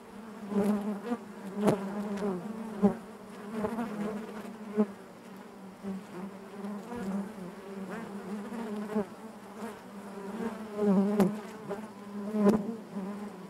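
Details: Bees hum inside the hive, a thick low buzz with layered overtones. It rises and falls in soft waves, broken by several crisp clicks.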